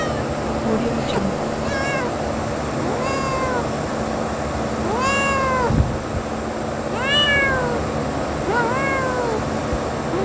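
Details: Little kitten in nature meowing repeatedly, five or so short bent whines that climb and drop in pitch, set against a constant noisy hiss.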